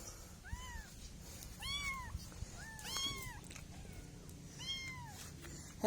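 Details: Kittens calling in a run of five thin, arching mews, some doubled, rising and falling at roughly one-second intervals against faint background hum.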